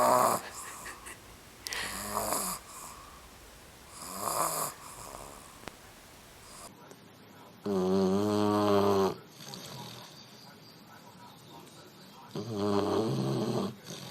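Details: Puppy asleep and snoring: drawn-out rasping inhalations, some hissy and some with a buzzing harmonic tone, roughly every two to four seconds, with soft background hum between breaths.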